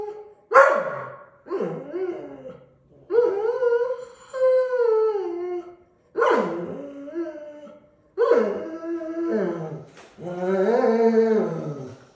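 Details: Gustl, a Deutsch Drahthaar puppy in its third week of bench training, gives five drawn-out, harmonic yelping howls over twelve seconds. They rise sharply, then waver and fall, with brief silent gaps between bursts.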